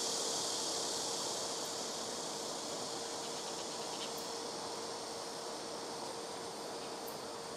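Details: Blackish cicadas in trees near a house rooftop producing a continuous high buzzing hiss, softer and more distant, over a faint steady low hum with a few brief clicks.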